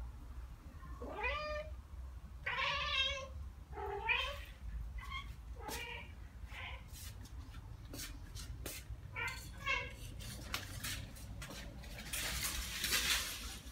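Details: Two Ragdoll cats, one year and nine months old, answer birdsong with their own bird-like sounds: a run of quick, bent, chirping meows, then rapid dry clicks and a burst of rustling noise at the close.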